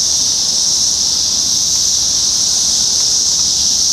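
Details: Brood X 17-year periodical cicadas during the 2021 emergence at a McDonald's parking lot in Sharonville, Ohio, on June 4. They make a dense, unbroken high-pitched hiss that holds steady at constant loudness throughout.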